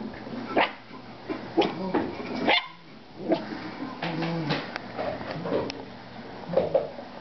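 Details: Female dog barking at her own reflection, giving a series of abrupt, harsh barks in irregular bursts, some close together, others after brief pauses, with faint human speech behind.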